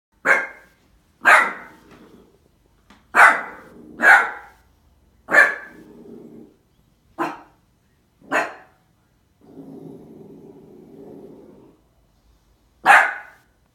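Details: Tiny female Cardigan Welsh Corgi puppy barking fiercely at her own reflection in a sliding door: eight sharp, high, yappy barks at irregular intervals, with low rumbling growls between them, one long growl near the end.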